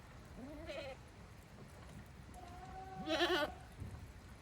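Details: Goats on a small handmade farm in Japan on 5 December 2023, walking back to their pens on their own as a daily routine; two quiet, wavering bleats, the second longer and louder, over soft background noise.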